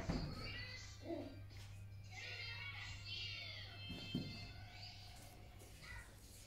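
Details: Five-week-old miniature schnauzer puppies at a morning play session give high, thin squeals and whines over a steady low hum.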